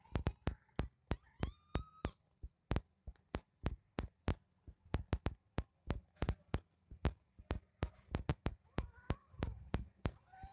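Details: Indoors, a kitten utters one clear, steady meow lasting about half a second, with fainter mewing later, almost buried under a fast, continuous series of sharp clicks and taps.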